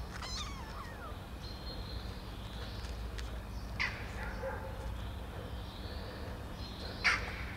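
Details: Baby kittens over 20 days old, taken outside while eating cat food pâté for the first time: one high, wavering meow that falls in pitch opens the recording, followed by faint squeaks and soft clicks over a steady outdoor hiss.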